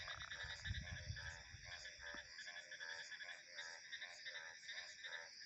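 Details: Frogs croaking in quick pulsed rattles, bursts coming roughly every half second, with a continuous high ringing of crickets and insects and a low gust of wind early on.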